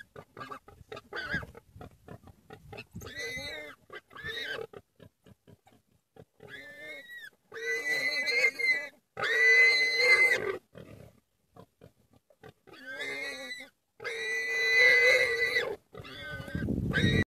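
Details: Common warthog under attack by wild dogs, screaming in long harsh harmonic bursts of one to two seconds, separated by short gaps and softer grunting, the squeals wavering and strained throughout.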